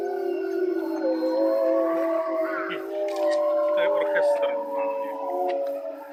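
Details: Grey wolves at Tama Zoo give a loud group howl in mid-afternoon, around 3 pm. Sustained, slightly sliding tones of different pitches overlap, and faint broken sounds, possibly human voices, come through in the middle.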